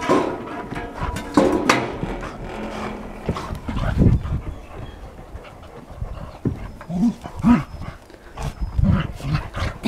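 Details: Young dog of about 12 to 15 months from a shelter, an energetic, playful, people-friendly Labrador-like dog of beagle size, heard close up with rough low panting and growl-like bursts, thumps and knocks, and brief human voices nearby.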